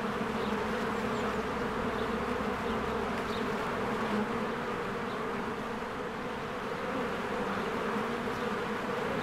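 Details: Busy spring beehive, many honeybees coming and going among blooming flowers; a steady, rich buzzing drone that wavers slightly in loudness, with a few faint high chirps in the background.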